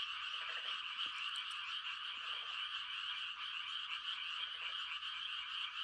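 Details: Frogs in mating chorus on a quiet country night in rice-planting season: a continuous shrill trilling mass, with a few short low rattling croaks from nearer frogs and faint clicks at about 1 and 2 seconds.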